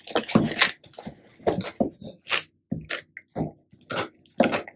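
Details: Labrador Retriever on a raw-feeding diet, eating and comparing raw duck neck with homemade duck neck jerky indoors; loud wet crunching and gnawing in irregular bursts about every half second, with brief quiet gaps between bites.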